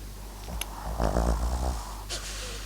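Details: MAX, a Papillon and Japanese Chin cross, asleep and snoring: one rough, rattling snore of under a second in a quiet room, with a brief click before it and soft breathy noise after.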